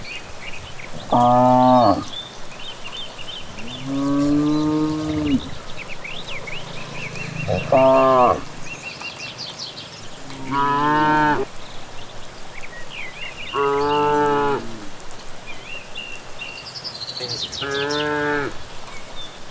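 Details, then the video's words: Cows walking home from grazing in a countryside evening; six moos spaced a few seconds apart, alternating short bleat-like calls and longer deeper lows, with chirping birds throughout. "Sapi Pulang Merumput di Sore Hari"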